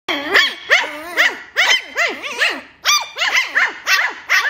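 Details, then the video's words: Lhasa Apso puppies playing and play-fighting, giving rapid high-pitched yapping barks with arched yelps, about two to three per second, uneven rhythm, indoors. "Lhasa apso puppies 🐶 🐶 playing and fighting"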